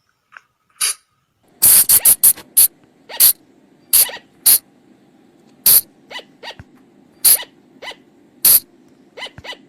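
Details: Night lure sound of a flying lemur (บ่าง) from the forest: loud, sharp squeaks in a quick opening flurry, then spaced single and paired shrieks, over a steady low hum.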